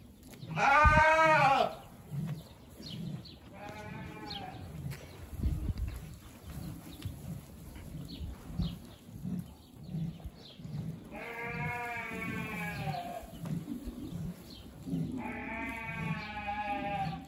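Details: Dorper stud rams shown at the San Marcos livestock fair in 2023, uttering a loud quavering bleat, then three more drawn-out nasal bleats spaced several seconds apart, over a constant low rhythmic rumble.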